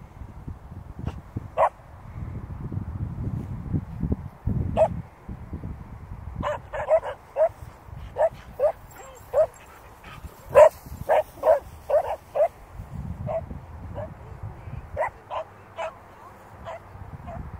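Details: Samoyed barking at Edinburgh Samoyed Rescue: a series of short, sharp barks, sparse at first, then coming in quick runs about every half second over a low rumbling background.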